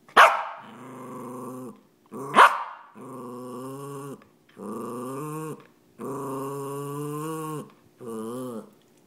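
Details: A male Cairn Terrier gives two sharp barks, then long, drawn-out grumbling moans, sitting next to his owner and demanding attention until petted.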